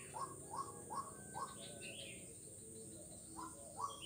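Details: Frog recorded on 4 November 2021 along Jalan Kolonel Sugiono, Kuala Kapuas, Central Kalimantan, Indonesia; a quick run of brief rising notes, a pause, then two more, with a constant shrill insect hum behind.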